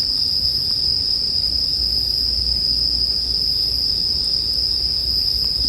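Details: Unwavering high ringing of a bell cricket fills the stretch, steady and even, with just a couple of soft clicks from a fire and quiet low rumble.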